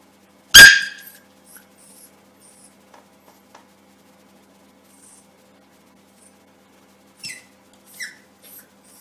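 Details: Suzy, a Yorkshire Terrier puppy indoors, sees itself in a mirror and takes the reflection for another puppy. It gives one sharp, loud, high bark, then a few faint clicks and soft squeaky yips near the end in a quiet room.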